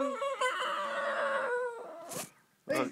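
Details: Singing Lhasa Apso giving a short wavering howl that slides and fades after under two seconds, followed by two brief sharp noise bursts, likely handling or movement indoors.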